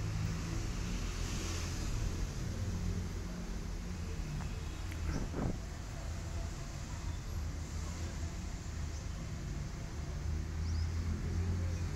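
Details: Low, steady road-traffic rumble dominates throughout, with a brief passing vehicle swell near the middle and no animal voices.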